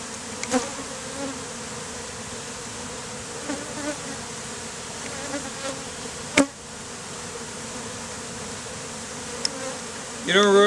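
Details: Honey bees clustered as a beard on a man's face, bees just removed from a statue, in heat; steady low droning hum with layered tones, a few sharp clicks and taps, a brief voiced sound at the end.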